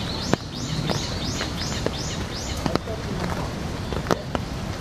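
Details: In rain at Ueno Zoo on 26 November 2014, Asian small-clawed otters (Aonyx cinereus), a female and a male, give six high, arching chirps about every half second, then a few sharp clicks, over a low wash of rain.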